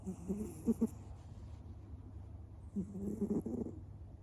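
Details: Two-year-old male American Shorthair cat, who always snores while sleeping, snoring indoors: two soft, breathy rasping snores about two seconds apart, each with a brief fluttering rattle, over a low steady hum.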